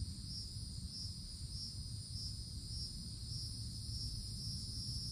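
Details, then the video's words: High in the woods in summertime, cicadas give a shrill, buzzing drone that throbs in regular surges roughly every half second to two-thirds of a second, over constant low rumble. "Forest Canopy in the Summertime With Cicadas Sounds"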